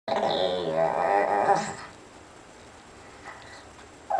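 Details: A white Pekingese gives a drawn-out, nasal, wavering moan that trails off into quiet.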